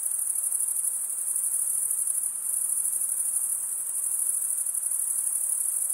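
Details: Crickets chirping in a dense, unbroken high-pitched chorus, a shrill continuous trill with fine rapid pulsing and no pauses, steady in loudness throughout; no other sounds stand out.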